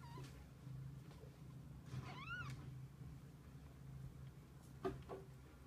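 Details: Kittens with their mother cat, together through the day: one clear arched meow with a rise and fall in pitch, a faint click-like sound near the end, and a constant low hum underneath.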